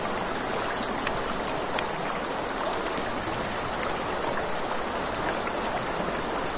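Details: Crickets at night by a river next to a crackling campfire: a steady, high, shimmering trill runs without a break over the rushing wash of flowing water, with sharp pops and snaps from the fire.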